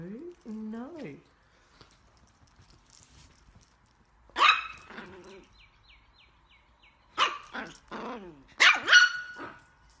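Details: Chihuahua giving loud harsh barks in quick clusters of two or three, following an opening stretch of wavering, voice-like tones; faint high whine runs in the background and a quiet pause separates the bursts.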